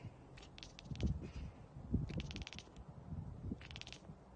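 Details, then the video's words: Domestic cat chattering at a bird or insect it has spotted but cannot reach: three quick bursts of rapid, clicking 'ek-ek-ek' pulses, each under a second long, with soft low thumps and handling noise beneath. "Cats Ekekekeke Compilation - Cats chattering at birds!"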